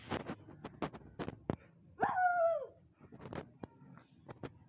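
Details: Siberian Husky puppy indoors in Lahore, Pakistan, among husky and Labrador puppies, gives one loud howling whine lasting about half a second that starts high and slides downward, set amid scattered knocks, taps and clicks.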